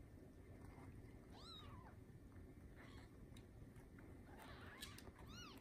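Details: Newborn Bengal kitten from a TICA-registered queen named Lisa, whose litter of seven arrived the morning of 7/15/19: two separate thin, arched mews several seconds apart against a quiet room hum.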